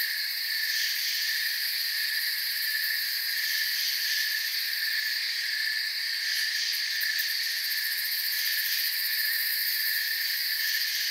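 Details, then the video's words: Crickets chirp in an even, ceaseless wall of high trilling tones, gently wavering, topped by quick high pulse bursts around six to seven seconds. "Forest Sounds and Crickets"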